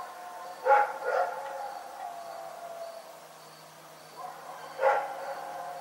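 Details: Rex the dog barks in the night: a quick double bark, a lull of about three seconds, then one more sharp bark. A faint regular high pulsing continues behind.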